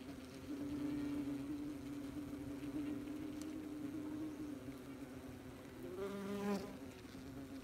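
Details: Wasps very busy at their nest, recorded up close: a dense, steady droning buzz with overlapping wingbeat tones, one louder wasp passing near the end.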